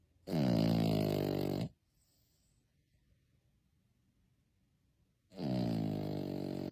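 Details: Sleeping puppy snoring with flapping jowls: long buzzy, harmonic snores of over a second each, separated by a quiet pause of about three and a half seconds, in a small room.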